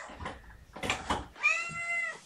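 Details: Indoor morning meow from the household of mother cat Gamora and her five young kittens, where the mother calls her human babysitter. After short human speech, a single clear, steady, tonal meow holds for nearly a second.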